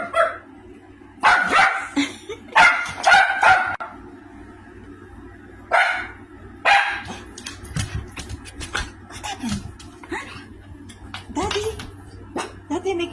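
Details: A female Maltese gives sharp, high barks in short bursts, reacting excitedly to a weird, strange noise.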